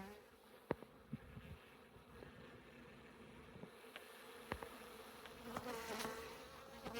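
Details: Honey bees of a well-established colony, active for two years, being cut out of a house wall: a steady low humming buzz runs throughout, broken by scattered sharp clicks and knocks from comb being handled.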